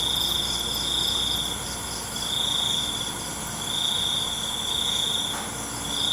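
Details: Crickets at night: bright, high trilled bursts about a second long, repeating roughly every second and a half over a steady, shrill insect drone.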